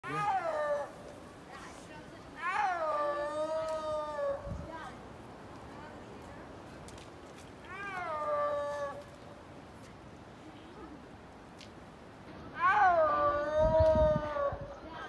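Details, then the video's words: A snow leopard at San Francisco Zoo gives drawn-out, moaning yowls, or roars, that start high, slide down and hold a steady wail. "Snow Leopard Roar at San Francisco Zoo"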